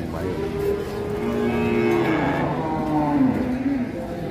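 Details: Calf on the rampage with its neck caught, giving one long, strained, drawn-out moo of about three and a half seconds, the rough tone wavering and sagging in pitch toward the end, over low background rumble.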